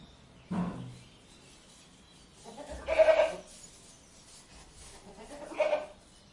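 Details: Domestic goat bleating three times over about six seconds: a short nasal bleat, then a louder, wavering, drawn-out bleat, then a brief final one. Faint background hiss between calls.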